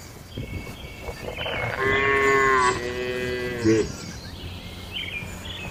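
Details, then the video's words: Cattle in a traditional village shed at night, one long harmonic moo in the middle, steady then falling, with a shorter second call after it and other cattle faint behind. "Suara Malam di Kandang Sapi Lembu"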